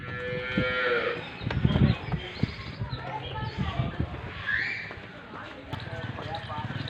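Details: Friesian cow at a farm in Pakpattan, Pakistan, giving a short harmonic moo that rises and breaks off in the first second, followed by shuffling, clattering and low background noise with faint voices.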